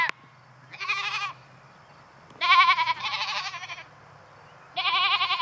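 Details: Goats that dislike being alone in their new fence bleat insistently; quavering, nasal cries, one short then a long doubled call and a final loud bleat, with a soft low drone beneath.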